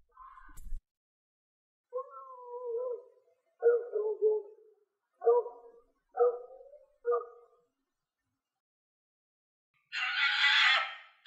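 A fox gives a series of wavering, whining calls, then a harsh, rasping burst.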